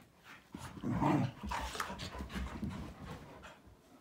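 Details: Three dogs, a Malinois, an Akita and a Corgi, in their daily morning play: rough low growls, panting and scuffling, louder in the middle, with thumps of movement.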